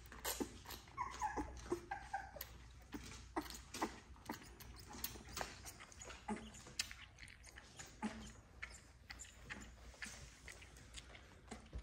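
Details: Several of ten XL American Bully puppies being bottle fed to help their mother, giving soft whimpers and squeaks amid sucking and handling noises, with a low background hum.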